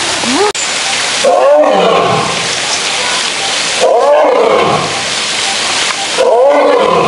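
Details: A male lion in a zoo gives deep, throaty roars in bursts about every two and a half seconds.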